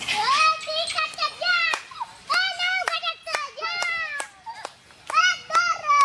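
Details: Gray langurs, about 100 of them fighting in a local forest, give loud, harmonic squealing screams that rise and fall in overlapping bursts.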